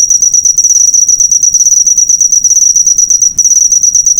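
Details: Cricket chirp master recording for cage-bird training, a loud high-pitched rapid pulsed trill running unbroken except for a momentary pause a little past three seconds; nothing else audible.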